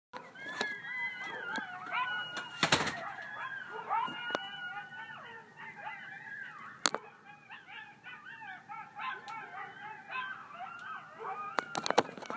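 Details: Outside houses in a neighbourhood, a chorus of coyotes, sounding like about 20, yips and howls in wavering, overlapping tones while neighbourhood dogs bark along.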